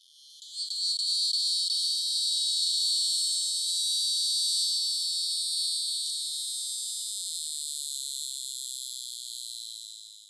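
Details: A cicada, singing in the hottest hours of a summer day, gives a steady, high, shrill buzz without pause through the whole clip.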